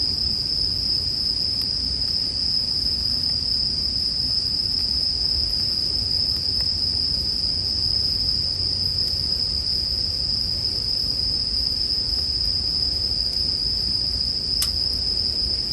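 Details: Bell crickets calling as a sleep soundscape, a steady, unbroken high ringing trill held at one pitch throughout, with soft low background noise and an occasional faint click.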